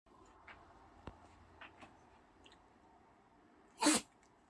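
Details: Pet poodle indoors giving a single sharp, explosive sneeze near the end, preceded by a few faint soft clicks and snuffles in a quiet room.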